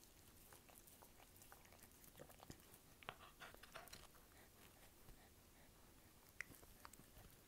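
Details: Dog chewing indoors in a small room: soft, scattered crunchy clicks and bites, fairly quiet, with a few sharper snaps around the middle and near the end.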